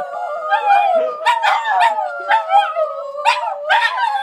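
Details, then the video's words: Group howling by three Border Terriers in St Albans: one long even note held throughout while other voices swoop and waver, interrupted by brief high yips. "Border Terrier Symphony"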